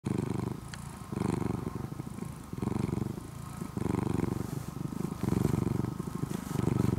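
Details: Orange-and-white former stray kitten, fed and cared for over two years and now nearly a house cat, purring loudly. Deep, rumbling engine-like purr in breath-length pulses, with brief pauses between inhale and exhale.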